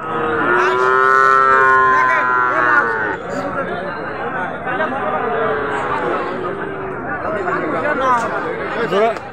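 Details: Cattle at a Qurbani market in Domar, Nilphamari district, Bangladesh: a loud moo of about three seconds opens, then breaks off into busy crowd chatter and bargaining voices for the rest.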